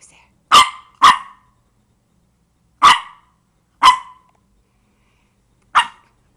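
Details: Pet dog digging, giving five short, sharp single barks spaced irregularly: a quick pair, then two more about a second apart, and a last one after a two-second pause, with quiet between.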